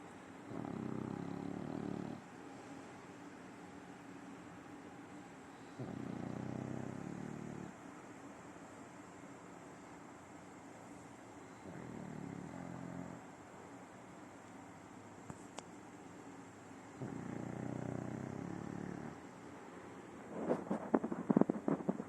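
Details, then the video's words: Sleeping French Bulldog Simão, a nine-year-old adopted dog, snores in steady cycles: a coarse, low rumbling snore roughly every five seconds with quiet breaths between, plus a few sharp clicks near the end. "Bulldog francês roncando"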